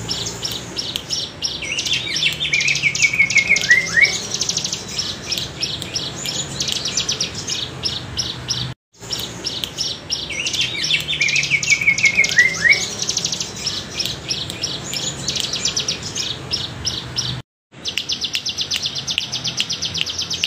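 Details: Cicada, wavy bren cigun style used as a tutor sound for songbirds; rapid high buzzy pulsed chatter with quick downward chirps, two repeated phrases separated by short silences.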